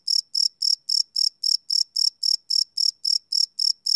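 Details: Night-time cricket chirping captured live with a Sony PCM D100 recorder, no loops: rapid, evenly spaced high-pitched chirps, roughly four per second, continuing without pause over a silent background.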